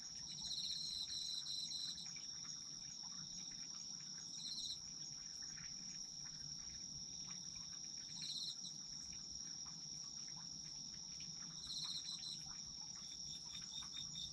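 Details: Chorus of autumn insects, a relaxing night ambience: constant shrill ringing drone overlaid with bursts of rapid pulsed chirping that return roughly every three to four seconds, soft background hiss.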